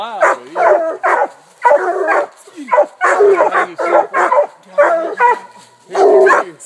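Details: Walker, Bluetick and Black and Tan coonhounds baying up a tree after a raccoon they treed eight minutes after release. Choppy barks come in clustered bursts, several dogs overlapping, with brief lulls between volleys.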